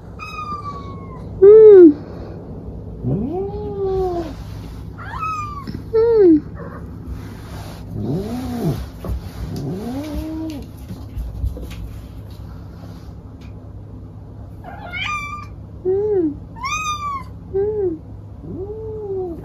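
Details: House cat meowing repeatedly, roughly a dozen arched, rising-then-falling cries of varying length and loudness, some strained and high, spaced irregularly over low indoor hum.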